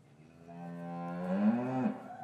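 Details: Lowing cow in an English farm cattle yard, winter afternoon, calves newly separated from their mothers; a single drawn-out moo that swells gradually and rises slightly in pitch before cutting off, rich in harmonics, little else audible.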